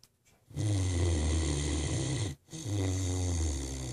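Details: Great Dane named Ace asleep and snoring like an old man: two long, deep, rattling low snores, each lasting about two seconds, split by a brief silent pause for breath.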